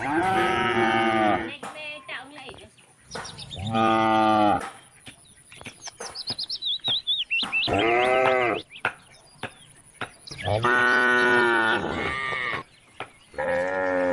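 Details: Cows calling on country roads to bring the herd home to the barn: several long harmonic moos, some rising then falling, with short chirpy sounds between calls and a steady high tone throughout.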